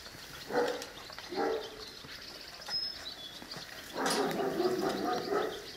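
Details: Seven-week-old Presa Canario and Cane Corso puppies, kennel litters, whimpering: two short whiny yelps about a second apart, a faint one after, then a longer wavering whine lasting over a second, over quiet background hiss.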